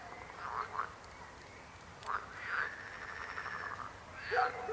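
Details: Frogs croak in grating, pulsed bursts: two short croaks, a pause, a longer rattling series, then a final louder croak.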